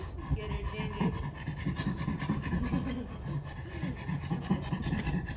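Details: Captive chimpanzee at Chimpanzee Sanctuary Northwest, close to caregivers: soft, low, rhythmic breathy pants repeated several times a second through the whole stretch, with a quiet human voice in the background.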